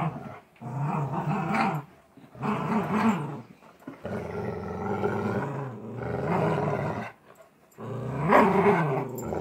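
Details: Golden Retriever growling during a game of tug of war: rough, rumbling growls in long bursts of about one to two seconds, broken by brief silent pauses, rising into a louder, harsher snarl near the end.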